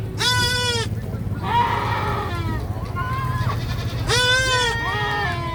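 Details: Goats screaming: two loud, harsh, strongly harmonic bleats about a second apart from each other's start, separated by softer wavering bleats from other goats, over a steady low engine-like hum.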